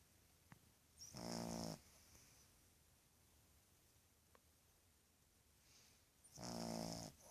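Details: Boston terrier puppy, two and a half months old, snoring while asleep: two loud rasping snores about five seconds apart, each half a second long, with quiet breathing and faint clicks between them.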